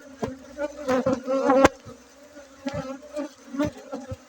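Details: Buzzing honey bees at a honey harvest in Bener Meriah, Aceh, 7 August 2023, held at a bee breeding site; a continuous humming drone broken by several loud clatters and a brief louder swell.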